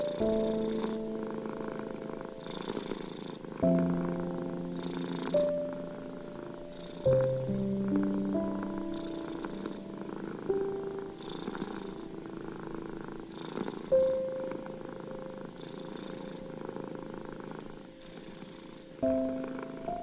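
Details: Soft, unbroken purring from a domestic cat, a rapid low vibrating rumble, accompanied by slow, quiet piano chords that ring and fade, offered to soothe anxious, ill and stressed cats.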